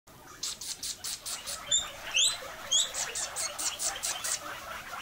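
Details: Pet guinea pigs squeaking while getting a snack of cucumber pieces: a run of short, high, shrill squeaks repeated about twice a second, with a few sharper upward-sweeping whistles in the middle, over faint room hiss.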